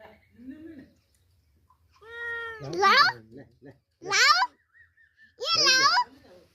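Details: A stray kitten, found wandering and taken in to be cared for and fed milk, gives several high, arching meows, one after another about a second apart. People talk and laugh close by.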